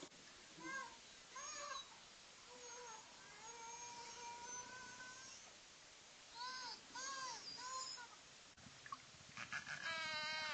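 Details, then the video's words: Cook Inlet beluga whales near Anchorage, Alaska, in an underwater recording: short arched chirping whistles in quick pairs, longer level whistled tones in the middle, then rapid buzzy pulsed calls at the end over soft water hiss. "first play you a clip that is a variety of calls and whistles and buzzes. So it's pretty cool. So let's see here."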